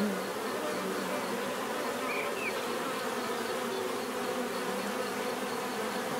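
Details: Natural buzzing of many bees forming a constant full hum with shimmering overtones, a few faint higher flickers of individual wingbeats passing through the drone.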